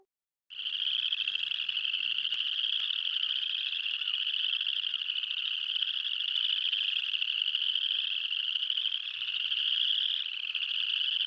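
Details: Spring peepers in early spring in Michigan, a dense chorus from a roadside puddle in front of a house: high, shrill peeps blending into a continuous jingling ring like jingle bells, loud for frogs the size of a thumb.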